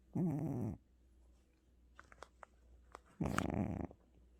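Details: Two loud, grating snoring breaths from Gucci, a pet cat exhausted after visiting the hospital, separated by quiet ticking sounds in a small indoor space.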